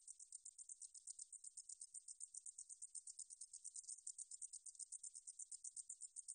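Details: Song of a katydid, recorded by the National Institute of Biological Resources in 2020. A continuous, very high sizzling trill pulses rapidly and regularly throughout, with a clean quiet background.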